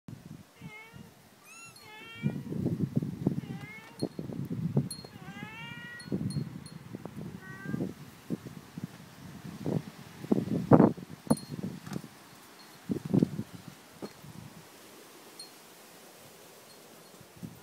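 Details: Newborn kittens at a family home in Japan, mewing in thin, high, quickly falling cries repeated every second or so over the first eight seconds, mixed with rustling, handling noises and thumps that continue afterward.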